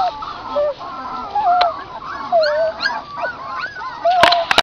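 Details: Puppies outdoors with their mother, drinking milk: many overlapping wavering, high whines and squeaks rise and fall continuously. A sharp knock sounds near the end.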